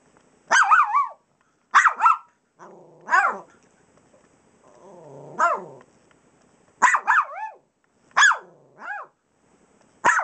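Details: Pups barking while playing on the pillows of an unmade bed. Sharp, high yipping barks come in single and double bursts, with one lower, drawn-out growly bark in the middle and short quiet gaps between them.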